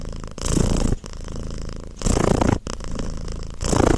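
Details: Cat purr, steady and deep, alternating between softer stretches and louder rasping bursts roughly every 1.6 seconds, three surges in all, heard up close in a quiet setting.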